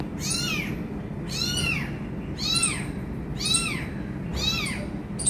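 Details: Five loud arched meows, about one per second, from an abandoned kitten urged toward its injured mother, over low room hum.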